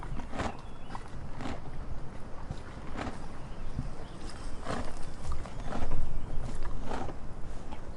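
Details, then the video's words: A donkey chewing its food: repeated crunchy bites at an uneven pace, growing louder and denser toward the end, over a persistent low rumble. "Donkey Eating Sound Effect"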